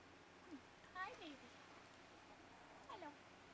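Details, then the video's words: Pups at play, two brief descending whimpers about two seconds apart, each sliding downward in pitch, in a quiet indoor room with faint background hiss. "katies pups playing"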